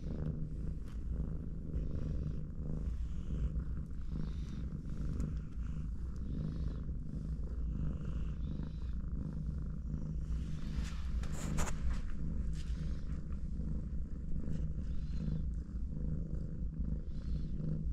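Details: Mother cat resting and cuddling with her four kittens; a low, steady, continuous rumbling purr runs through the whole recording, with brief soft rustling near the middle.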